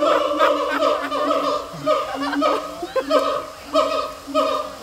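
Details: At Taipei Zoo, a siamang gives loud, resonant barking notes in a quick, uneven series, almost like hoarse laughter.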